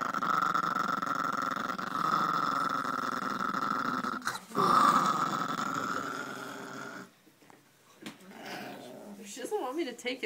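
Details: Female Chihuahua, both submissive and aggressive at once, not wanting something taken from her: a steady rough growl with a whining overtone for about seven seconds, briefly broken near the middle, then fading into quiet human speech.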